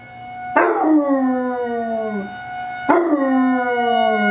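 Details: Alvin, a basset puppy, howls with the weekly emergency test siren: two drawn-out howls that begin abruptly and fall slowly in pitch, over a constant droning siren tone.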